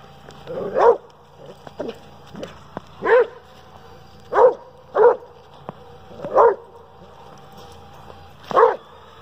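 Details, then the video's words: Pet Dobermann Kruz barks at a remote-control car he hates, irregular single barks every second or so over a faint whirring toy motor, with a few soft clicks between. "Doberman Pinscher Hates RC Car"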